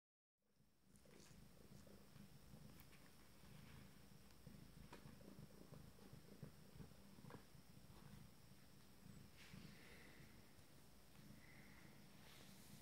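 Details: Abyssinian kittens from a first litter, on day 27, during a morning exploration. A quiet, steady, low rumbling purr continues throughout, with faint soft rustles and light taps.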